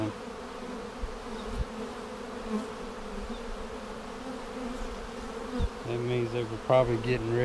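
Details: Continuous low hum of honey bees at a hive split made with a double screen divider board, inspected for queen cells on March 10, 2019, seven days later; a man starts speaking near the end.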